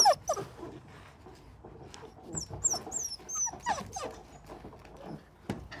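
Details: Belgian Malinois puppies about a month and a half old, from a litter of twelve, playing with an empty plastic bottle; short high squeaky whines and yelps rise over loud crackling plastic crunches and scuffling.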